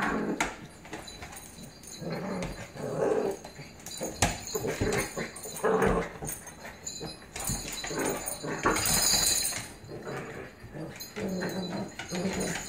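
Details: Blue Pit Bully puppy and adult Staffordshire Pitbull Terrier at play, the puppy 'dominating' the older dog indoors; low rumbling growls come in surges through the recording amid scuffling and rustling noise.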